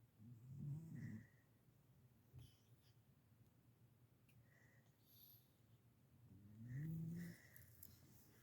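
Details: A sleeping domestic cat snoring: two drawn-out, low raspy snores about six seconds apart, each under a second long with a slight rising tone, separated by quiet low rumbling and a few faint clicks.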